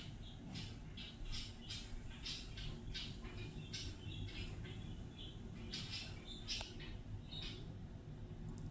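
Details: Pet guinea pig Fiddy, a female, chutting happily while free-roaming during indoor floor time and enjoying her owner's whistling; quick rows of soft clicking pulses repeat through the clip, with a few brief higher squeaks and a quiet room background.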